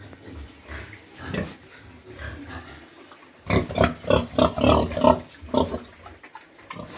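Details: Newly farrowed sow with her piglets, penned in the cold season while rice hulls are spread and the piglets kept warm. Soft low grunting gives way to a loud run of rapid squealing grunts, about three or four per second.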